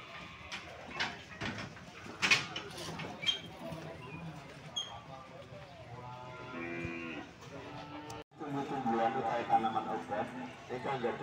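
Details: Calves at the Sokaraja cattle market in Indonesia give long, harmonic, drawn-out moos in the middle and again toward the end, over a steady background of people talking and market crowd chatter.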